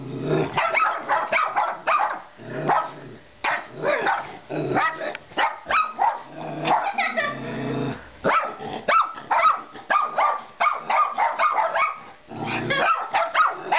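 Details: Two pet dogs, Panda (black and white) and Europe, barking at a baby doll; sharp repeated barks in rapid bursts mixed with growls, brief pauses between volleys.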